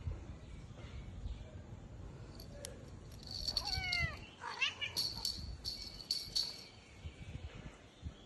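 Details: Domestic cat playing with his toy indoors, giving a few short harmonic meows in the middle of the clip, overlaid by light clicking and rattling of the toy and a faint background hum.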